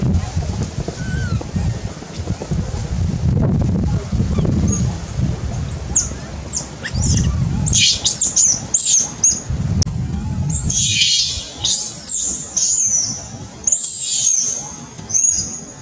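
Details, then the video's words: Baby monkey crying loudly after a big monkey plucks it up and threatens it while eating: a burst of high, thin, wavering screams, some rising then falling, packed into the second half over low rumbling handling and wind noise. "Baby monkey cries loudly | Big monkey pluck up baby for threatening during eating."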